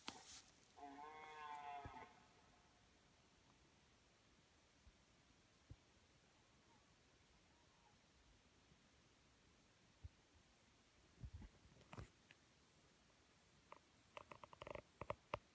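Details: A deer in Lithuania roars in the morning, giving one brief, harsh, harmonic roar followed by quiet with scattered knocks and clicks.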